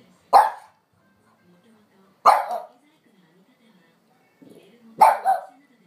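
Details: ['French Bulldog, normally calm, barks at a relaxing owner, eager to head out for a walk; three loud, rough barks roughly two seconds apart, with faint whines and quiet low sounds in the gaps.']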